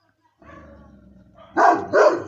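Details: Moscow Watchdog guard dog: a low drawn-out growling whine rises into two sharp, loud barks in quick succession near the end.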